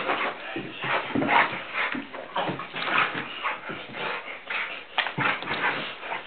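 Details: Blue Nose Pit Bull named Tantrum in rough play with a person, giving repeated high whimpers, yips and short barks about every second or two over heavy scuffling and breathing, with occasional speech.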